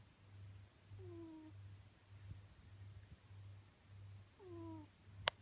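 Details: A cat snoring in its sleep: low rumbling pulses in an even on-off rhythm, two brief squeaky descending notes mid-clip, and a sharp click at the very end.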